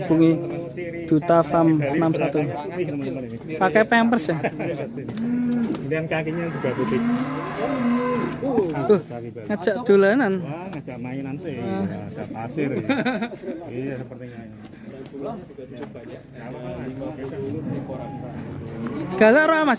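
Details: Young non-poel bull of the 'leher beton' type, raging in its pen at Duta Farm 61, Kuningan, West Java, Indonesia: repeated low, hoarse moos and bellows among constant human talking and pen noise.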